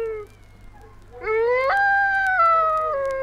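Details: Dingo howling in Australia, recorded by a naturalist and released in 1968 on a 45rpm record. A drawn-out, tonal howl with rich harmonics swoops upward after a brief lower note, holds steady, then slides gradually downward.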